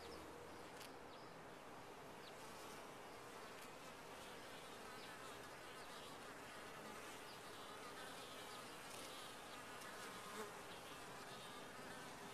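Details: A constant low droning hum rises from a colony of honey bees inside a top-bar hive, many wings together and steady throughout, with faint clicks and ticks scattered over it.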